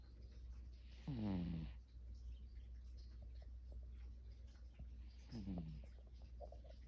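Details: A cat snoring: two rough, buzzy breaths about four seconds apart, each carrying a low tone that slides downward and then fades, over a steady low hum.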